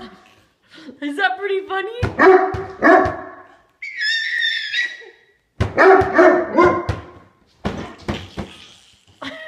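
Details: Great Dane playing with a baby: loud, deep barks in short bursts, a pair early on and another cluster midway, with a high squealing voice between them and people talking throughout.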